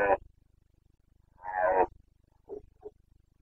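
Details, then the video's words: Bucovina Carpathian red deer stag in rut, September 2022: a clipped bellow, then a full rasping roar of about half a second, followed by two short grunts, over a faint rhythmic low thumping. "Boncănit / Carpathian stag Breeding season 29.09.2022"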